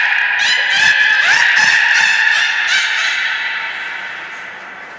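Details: Nana, a beluga at Port of Nagoya Public Aquarium, during training on 13 April 2019: a sustained, nasal, harmonic honking tone held for about three seconds, with a brief upward squeal near the middle, slowly fading out.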